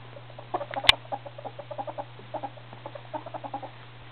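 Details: Male ferrets, hobs hitting puberty, give a rapid run of short clucking bursts, about three to four per second, with a sharp click near the start and a steady low electrical hum underneath throughout.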